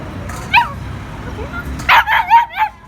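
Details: Playful puppy with its owners gives one sharp rising whimper, then a quick series of four crying yelps close together, with a quiet low hum between calls.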